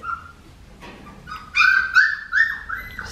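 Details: Blue merle female Australian Shepherd puppy from Raven's litter, three and a half weeks old, whimpering: a faint thin whine, then three quick bursts of high, squealing cries that slide upward, with quiet room background.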